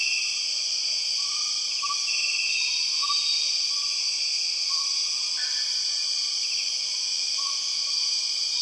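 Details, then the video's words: Empress cicadas in the Borneo rainforest: a loud, steady, high-pitched droning whine in several stacked layers holds without a break, while faint short whistles slip in and out low beneath the insect chorus. "The weird sound of empress cicadas"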